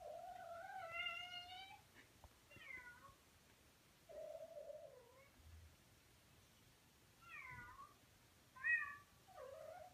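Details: A male Persian cat gives a string of drawn-out, wavering meows, calling to a cat seen in an online video.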